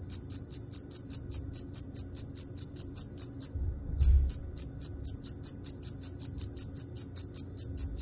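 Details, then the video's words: Rapid, evenly pulsed high chirps from a cricket, roughly two and a half per second, with a short gap near the four-second mark and a soft low thump beneath. "Cricket Chirping"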